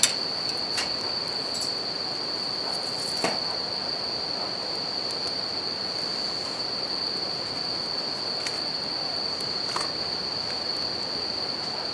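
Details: By a crackling campfire next to a river, bell crickets keep up an even, sustained high ringing note, while the river's steady roar fills the background and several sharp pops of burning wood break through.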